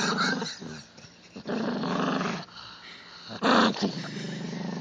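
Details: Chihuahua in a humorous clip cast as a devil-possessed alien dog. It gives rough, harsh growling bursts with a strained, snarling edge, broken by short pauses. A louder, higher snarl comes near three and a half seconds.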